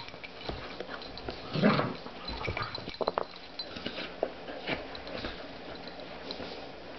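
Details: Spruce, a dog, playing indoors at night with her new puppy: one short gruff bark-like burst early on, then scattered clicks, taps and scuffling play noises across a quiet room.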